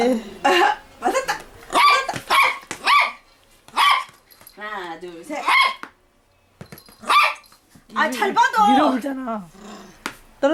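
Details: Da-Ji, a toy poodle, playing: short high barks in bursts with a brief rolling growl near the middle, while a woman talks and urges her on in Korean throughout.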